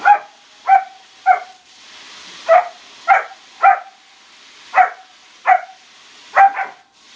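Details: German Shepherd puppy barking around a swimming pool: about ten sharp, ringing barks, each short and clear, spaced irregularly at roughly half-second to one-second gaps with a brief lull in the middle; otherwise quiet.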